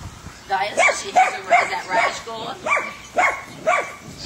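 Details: Puppy meeting three Weimaraners: a run of short, high yips and barks repeated about every half second, with a woman speaking over them.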